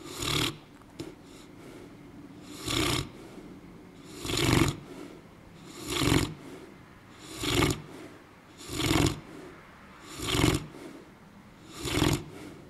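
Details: Sleeping dog named Buddha snoring loudly, each rough, noisy breath rising and falling regularly about every one and a half seconds, nine snores in a row indoors with little else heard.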